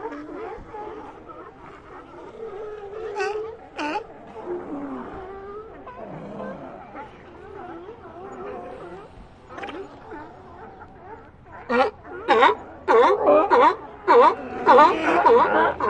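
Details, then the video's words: Sea lions calling in an ambient recording: scattered low moans and harmonic barks for the first twelve seconds, then a louder run of sharp, rapid barks overlapping toward the end. "Ambient Sea Lions"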